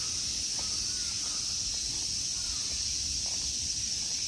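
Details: Summer insects droning in a temple park at Ikegami Honmonji, Tokyo, Japan: a steady, dense, high-pitched hiss runs unbroken throughout, with faint sliding bird notes beneath it.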